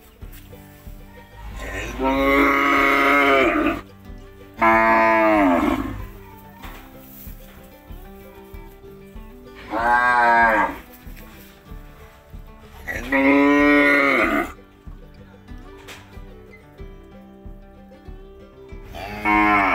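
Vietnamese yellow cattle give loud, drawn-out moos, each lasting one to two seconds, over soft background music.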